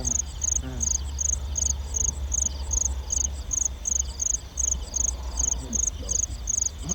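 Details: At night in farmland between 9 and 10 pm, field crickets give crisp, high-pitched chirps in an even series about every half second over a constant low rumble, during a nighttime cricket-catching outing.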